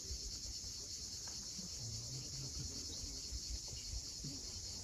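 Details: Steady, piercing cicada buzz at sunset over the steep shore of Cape Fiolent in Crimea, with scattered low chirps and soft wave noise beneath the constant high drone.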